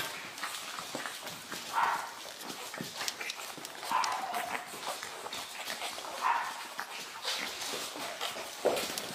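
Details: Pug puppies: brief high whining cries spaced roughly every two seconds, four in all, over constant rustling and scuffling noises close by.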